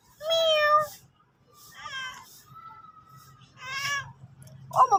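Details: A sulking pet cat meows repeatedly: a strong steady meow, then shorter mews and a thin drawn-out tone, ending in a rough burst, heard in a quiet room.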